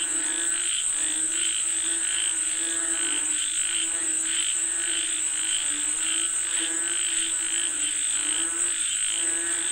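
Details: Frogs calling for rain: a dense chorus of stacked, nasal croaks pulsing over and over, with a steady high whine running underneath throughout.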